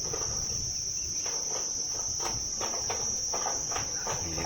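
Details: Crickets keep up a steady, high, shrill trill with no break amid clouds on a hillside near resorts in mild weather, neither hot nor cold, while a man talks over them.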